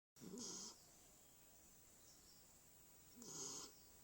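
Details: A dog snoring during an afternoon nap: two raspy, hissing breaths about three seconds apart, each lasting about half a second, with quiet room background between them.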